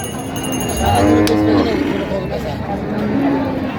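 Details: Cow at the Raniganj livestock market, Dinajpur, sold with calves on 4 September 2025: a short, rising-then-falling low moo, then a faint second lowing, over a din of people talking and background music.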